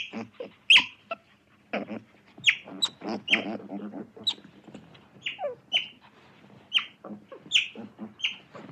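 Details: Otter giving sharp high squeaking chirps, several sliding downward, repeated irregularly about once a second and mixed with low, rough, pulsed chattering and grumbling sounds between them.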